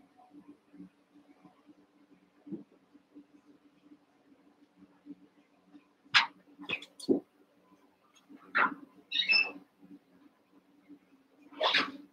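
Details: Young Cavalier King Charles Spaniel puppies, eight littermates about one month to seven weeks old, play-fighting in a pen: scattered high yips and squeaky barks come in irregular bursts over a low steady background hum and soft scuffling.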